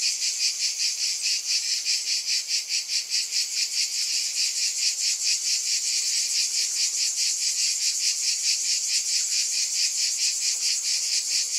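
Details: Cicadas buzzing together in a bright, continuous drone that pulses steadily about twice per second throughout.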